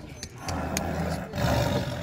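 A leopard gives a deep, rough, rumbling call close by.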